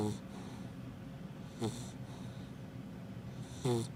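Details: Happy, a female Labrador Retriever puppy almost five months old, snoring like an old man: short harsh snorts with a rasping, harmonic edge, spaced about two seconds apart over steady low background hum.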